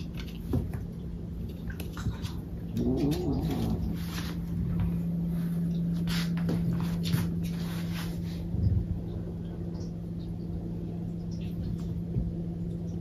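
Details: Domestic cat giving one short, low, wavering meow lasting about a second, set against a steady electrical hum and soft indoor room noise with scattered faint clicks and taps.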